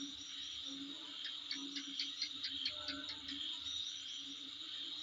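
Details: Insects near a house: a dense burst of quick, sharp high chirps in the middle seconds, set against a steady shrill background whine and a soft low pulsing.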